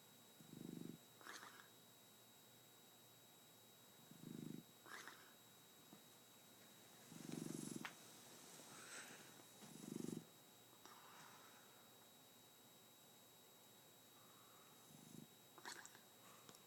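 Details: Asleep, a nine-month-old Shar Pei snores in low rumbling bursts every few seconds, some louder and longer, with soft smacking mouth noises between breaths in a quiet room.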